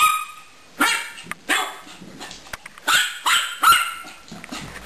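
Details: While at play with a hamster called Caramel, the dog Gracie lets out sharp, high barks in uneven clusters, some doubled close together, separated by brief quiet gaps.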